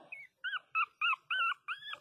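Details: Pinscher puppies crying loudly: six short, high, arched whining cries in quick succession, roughly every quarter second, each with a bright overtone and brief silent gaps between them.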